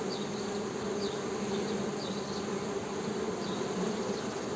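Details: Honey bees humming in a steady, continuous drone with a low buzzing tone and a higher overtone, unbroken throughout, with faint chirping birds in the background.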